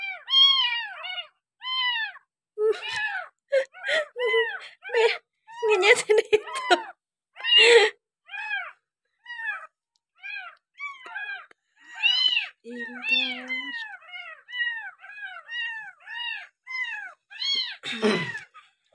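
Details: Abandoned village kitten cared for with a milk bottle, sixth day, meowing insistently in a long run of short arched cries, roughly one or two per second, mixed with a person talking and brief handling noises.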